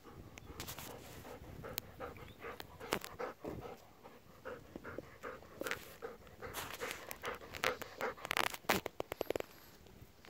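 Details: Golden retrievers in a field at midday, playing rough to get attention from an elderly man at work, then asking for food; irregular breathy panting bursts with scattered thumps and rustling throughout.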